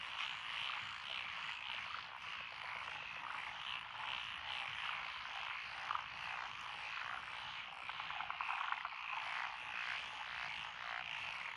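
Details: Frogs in lotus rice paddies beside a country road in Echizen, Fukui Prefecture, Japan, 12 June 2021, with Japanese tree frogs, black-spotted pond frogs, wrinkled frogs, Schlegel's and forest green tree frogs present; a dense unbroken croaking chorus with rapid rattling trills.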